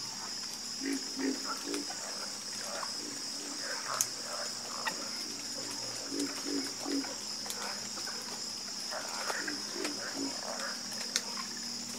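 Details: A chorus of frogs: several callers give low, rapid pulsed croaks in clusters every second or two, mixed with scattered sharper higher notes and a steady shrill drone in the background.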